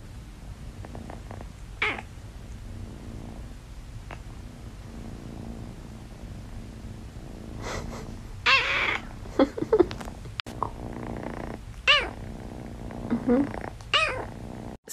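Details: Blue-eyed Siamese cat purring steadily indoors, broken by a few short, rising meows about halfway through and near the end, over a low background hum with occasional clicks.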